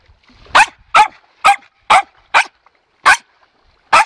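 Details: Domestic dog barking out of pure anticipation and joy over toys, sticks and balls during training to stay quiet: seven sharp, short barks in about four seconds at uneven intervals, with quiet gaps between them.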